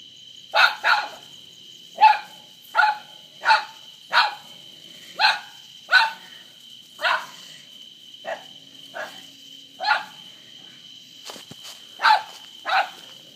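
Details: Terrier named Charlie fighting an opossum outside at night, sharp barks repeated about every half second to second, some doubled, over a steady insect-like drone.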